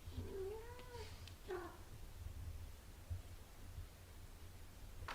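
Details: Nursing mother cat with her six-day-old kittens: a continuous deep purr throughout, opening with one drawn-out arching mew and a second short cry soon after.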